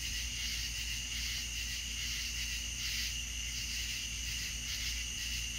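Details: Crickets in a night chorus in the south, many insects trilling together in a bright unbroken high buzz with slow irregular swells and a low background drone.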